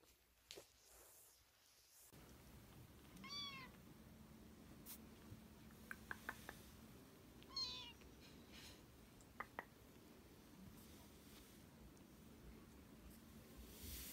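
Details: Domestic cat giving two short, high, wavering meows several seconds apart, the first a quick double cry, the second similar, with scattered sharp clicks and knocks and a steady low indoor hum underneath.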